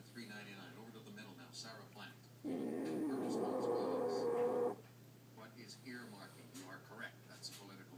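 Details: Sleeping female French Bulldog named Maddy gives a single drawn-out, buzzy snore lasting roughly two seconds, rough and grating with a thin whistle inside it, set between stretches of low indoor background sound.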